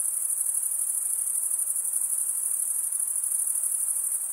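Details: Cricket stridulation by males scraping wing against serrated wing vein gives a constant, sharply high, buzzing-ringing trill. Its rapid beats run without pause over a faint, quiet background hiss.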